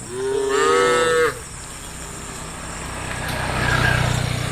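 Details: A single long, rising harmonic moo from tame cattle in a herd of hundreds running through village forest roads, followed by low rumbling engine-like noise.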